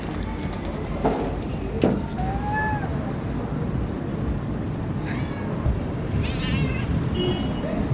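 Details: Cats meowing fairly faintly: a few short, scattered meows, one with a quavering tone, heard against constant low outdoor rumble with a couple of knocks.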